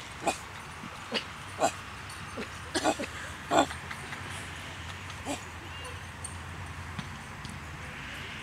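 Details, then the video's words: Pet dog barking at a dog park in Aloha, Oregon, in response to what it takes for another dog's barking. Short, sharp barks come singly or in quick pairs, about eight over several seconds, with faint outdoor background noise between. "barking in response to another dog barking"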